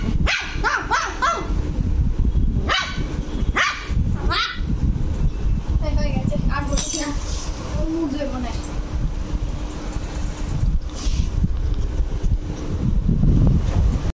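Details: Luci, an angry Lhasa Apso puppy, lets out a quick run of short, sharp yapping barks early on, then quieter scattered yips over steady low rumbling background noise, with a person's voice mixed in.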